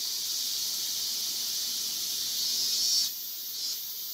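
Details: Male Yabukiri katydid on a guardrail in Iwanuma, Miyagi Prefecture, Japan, 20 August 2021; an unbroken shrill buzz for three seconds, then a sudden drop to a softer, interrupted hiss.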